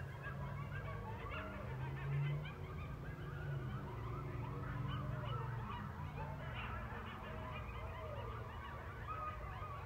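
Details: Wild coyote pack at night in rural Missouri, set off by a passing train, giving a dense chorus of quick wavering yips and quavering howls over a constant deep train rumble.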